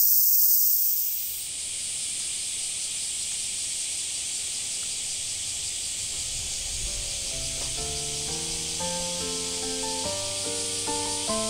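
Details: Dense high buzzing of cicadas at Oike Park, Tokai City, on a bright summer day, steady throughout. Gentle piano-like music fades in during the second half beneath the insect drone.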